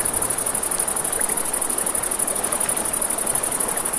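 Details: High, fast-pulsed cricket chorus at night on a riverbank, constant in level, accompanied by soft campfire crackling and the steady noise of flowing river water.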